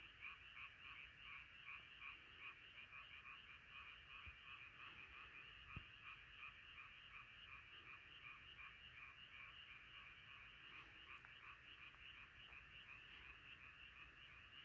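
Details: Many frogs gathered in a nighttime chorus, their croaks pulsing quickly and steadily, close to three per second, layered into one unbroken rhythmic drone with an occasional soft knock.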